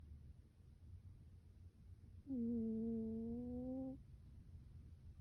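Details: Domestic cat asleep with her face covered, giving one steady, tonal, hum-like snore of about one and a half seconds, a drawn-out even note over a quiet, low room murmur.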